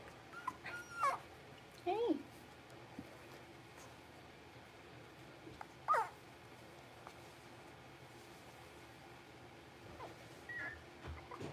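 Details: A litter of five blenheim Cavalier King Charles Spaniel puppies, six weeks old, kept in a home puppy pen: brief thin whimpers that bend down in pitch come in scattered bursts, with quiet gaps and a steady low room hiss.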